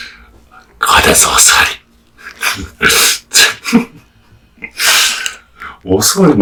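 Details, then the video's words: Kotetsu, a hearty-eating male American Bully, tears into raw meat and bones. Dense, loud crunches arrive in clustered bites, ending with a lower, slightly tonal gulping or grunting sound. "Dog eats raw meat bones"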